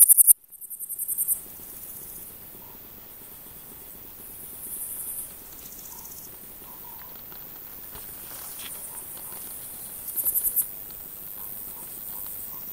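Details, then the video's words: A male Frivaldszky's bush cricket (Pholidoptera frivaldskyi) sings in short, high, hissing bursts spaced several seconds apart; recorded 5 July 2023 at Oleksandrivka, Kirovohrad Oblast, Ukraine. "Singing Pholidoptera frivaldskyi male bush cricket"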